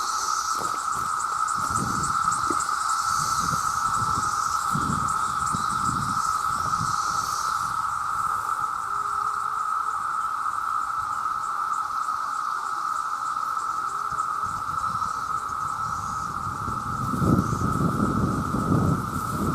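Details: Millions of male cicadas calling to attract females: a loud, constant droning buzz at a single pitch, with a high hiss that fades partway through, and low gusty thumps at the start and end.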